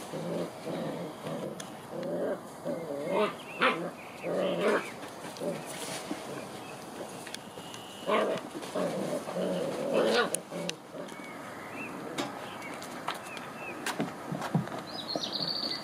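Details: A litter of seven-week-old White Swiss Shepherd puppies gives high, nasal whines and squeaky yelps in short, overlapping bursts, with brief pauses between outbursts.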